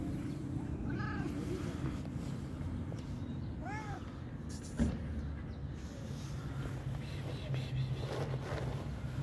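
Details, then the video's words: Hungry fluffy stray cat giving a few soft, arched meows spaced several seconds apart over steady low traffic-like rumble, with one sharp knock midway. "stray cat crying because it was very hungry"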